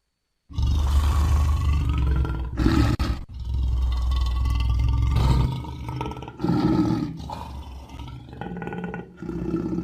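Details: Wild lions roaring loudly, a heavy, deep, sustained roar starting abruptly and continuing in rough, rumbling surges with brief dips, ending in a series of shorter throaty roars.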